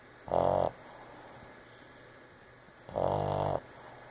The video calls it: Boston Terrier Mocha Monster Snoring